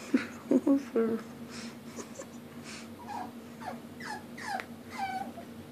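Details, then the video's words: Puppy whimpering while trying to climb the stairs as a person coaxes it on. Early thumps and bumps give way to a run of short, high whimpers that drop in pitch, repeated roughly every half second. "Puppy cries to go up stairs"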